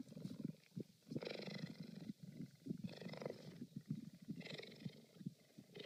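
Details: Deep rumbling cheetah purr, steady low vibration that swells and eases in alternating phases roughly every one to two seconds.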